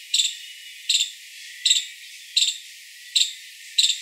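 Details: A five-striped palm squirrel gives a type 9 call: sharp, high chirps, each a quick double or triple note, about once per second.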